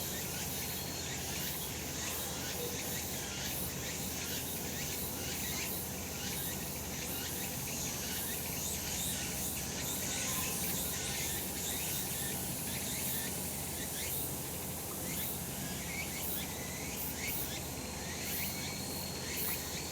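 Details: Summer mountain in sunshine filled with cicada calls: continuous shrill buzzing, slightly pulsing and layered from many insects, with a constant low hum beneath throughout.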